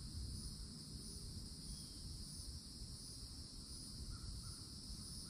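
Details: Cicadas in an old oak at the edge of a Florida forest in summer drone without pause in a high, steady buzz, joined by a few faint brief bird notes near the end and low rumble beneath.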